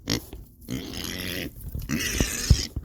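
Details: A hungry female pig on a homestead gives deep, rough grunts in quick bursts outdoors in the evening, asking to be fed, and was fed right afterwards.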